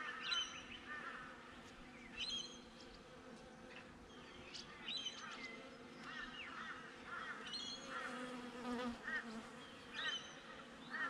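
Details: Honey bees buzzing outside a beehive, recorded on a GoPro set up beside the hive: a steady, low droning hum runs throughout, overlaid by frequent repeated honking calls from other birds and brief clicks.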